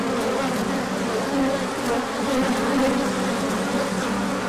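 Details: A swarm of bees in orientation flight at the hive when the sun emerged after cold days, March 2024, with good pollen inbound after. Continuous buzzing hum, multiple wavering tones overlapping, loudness swelling slightly and easing.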